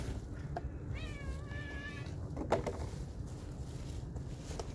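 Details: Cat eating chicken stock on a cold day gives one drawn-out meow, wavering and slightly falling, over a constant low hum with a few clicks.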